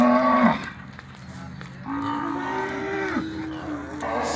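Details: Cows with calves penned at a cattle auction in Araçatuba, São Paulo, Brazil, on 10 August 2021; several loud, sustained moos, one sliding downward, with a hum of crowd noise behind.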